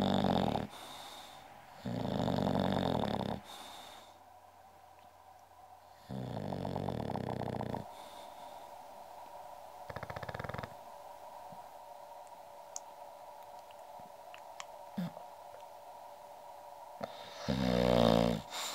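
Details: English bulldog Goldfinger, nicknamed Uschi, snoring indoors: loud, rasping, broadband snores in bursts of one to two seconds, separated by quieter stretches of breathing. A long lull comes midway, then a final snore that is the loudest.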